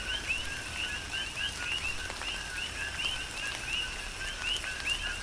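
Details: Chorus of coqui frogs during a tropical rain shower on the Big Island, Hawaii: many overlapping short upswept chirps, repeated rapidly throughout, over steady patter of raindrops and rain noise.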